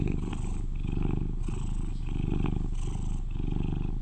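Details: Loud purring from an eleven-year-old male British Shorthair, a cuddly household cat; low buzzing rumble rising and falling with each breath, the cycles repeating roughly every second and a half.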